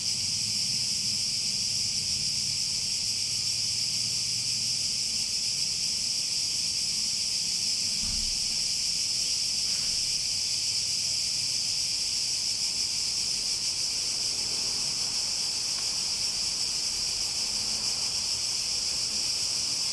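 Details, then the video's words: Cicadas keep up a steady high buzzing hiss for twenty seconds; a low murmur and a short thump appear early on beneath the constant drone. "Relaxing Sounds With Cicadas"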